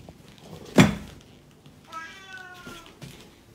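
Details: Oriental Shorthair cat indoors makes a short, soft meow after a sharp knock or thump, with a woman's Russian speech before and after.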